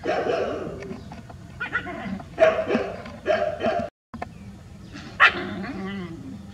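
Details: Rural street dogs in a big group in a village, barking loudly: several harsh barks with whining, yelping tones, bursts spaced irregularly, one brief silent gap.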